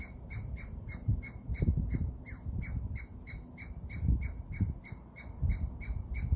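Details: A Douglas squirrel gives a steady run of thin, high squeaks, about three each second, as another squirrel biting tree leaves hears it.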